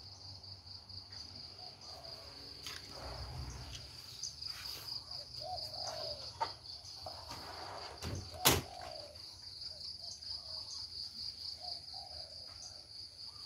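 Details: Cricket calling in a homely, natural rural setting, a continuous shrill high trill holding steady throughout, interrupted by scattered knocks, thumps and a loud bang like a door near the middle, with faint low rumble beneath.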